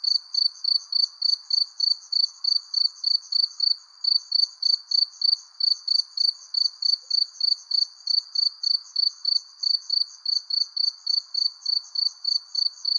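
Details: As the sun sets beneath a persimmon tree, crickets keep up a bright, even chirping, roughly three to four pulses per second, with a soft hissing band below.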